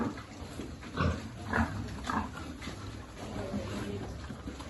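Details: Piglet from a free-living farm pig group, many descended from animals living there, some rescued or abandoned, at feeding time: three short broadband grunts about half a second apart, then quieter grunting and background murmur.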